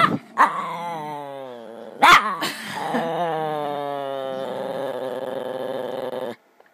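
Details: A pet dog named Dice making weird noises: a sustained, wavering, harmonic whine-howl that bends up and down for several seconds, with brief sharp bursts near the start and a faint growly edge.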